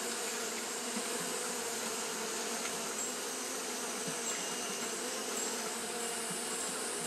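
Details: On a hot day, Japanese honey bees keep up their fanning: an unbroken, level drone with a deep humming core, faint ticks here and there, and a steady bright hiss above.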